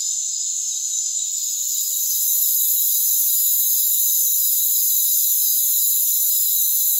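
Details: Crickets calling in a rainforest, a dense, unbroken high shrill chorus of many insects with layered steady trilling tones that swell slightly louder after about two seconds and then hold constant.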